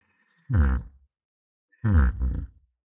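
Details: Domestic yak uttering two deep, short grunts about a second apart, the second broken into two throaty pulses, against a silent background.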